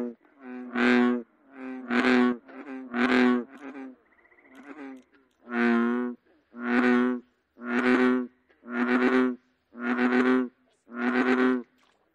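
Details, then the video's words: American bullfrog, North America: deep, resonant, droning croaks repeated about once a second, about ten in a row, each lasting over half a second, with a brief buzzy note in the middle. "American bullfrog"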